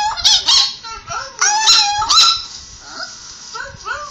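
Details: Male pet Chihuahua vocalizing while watching a recording of himself 'talking', with a quiet female dog beside him; several wavering, whiny howl-like yowls that bend up and down in pitch, fading toward the end.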